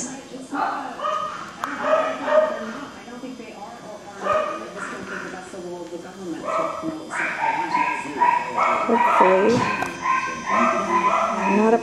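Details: Male Cockapoo puppies, four brothers, recorded indoors on 18 April 2014, giving rapid, high, short yips and yelps in irregular bursts, some drawn-out whimpering notes, over a person talking throughout.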